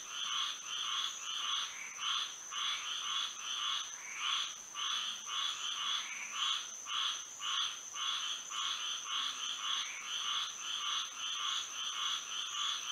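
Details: Night chorus of frogs in Florida by moonlight, the calls swelling and fading in quick rhythmic pulses, close to two per second, with an unbroken shrill tone held high above them throughout.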